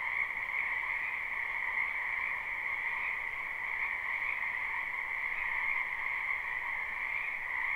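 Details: Many frogs croaking in a spring wetland, recorded live without looping: a dense, unbroken chorus forming a steady high trill with a lower band beneath, no gaps or single voices standing out, and no other sounds.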